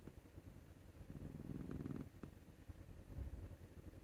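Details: Male Scottish Fold cat named Maru snoring like an old man while being scratched on the neck; a soft, low, rasping breath swells around the middle and then fades, with quiet room hiss.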